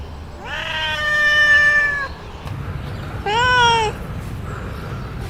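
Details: Domestic cat meowing: a long drawn-out meow of about a second and a half, then a shorter second meow after a pause, both tonal with rich harmonics over low background hum.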